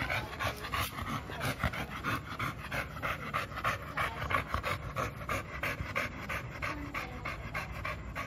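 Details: Panting from Milo, a 2-year-old American Bully eager to play: quick, regular breathy huffs, about three per second, rasping and even throughout.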